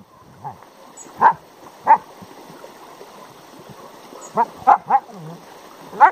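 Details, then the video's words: Two Siberian Huskies, a red 3-year-old dog and a grey and white 7-month-old puppy, argue over a hole one was digging: sharp, nasal yelping barks with rising and falling pitch in irregular bursts, some spaced about a second apart and others in quick clusters, plus soft low grumbles. "Two Funny Siberian Husky Dogs Argue Over Digging a Hole"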